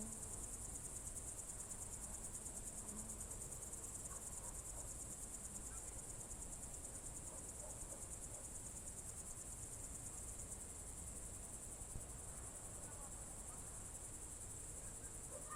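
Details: June 2023 evening in the Novye Buregi tract, Novgorod Oblast, crickets trilling: a constant, piercing high-pitched whirr with rapid regular pulsing, backed by a quiet low rumble and occasional faint soft notes.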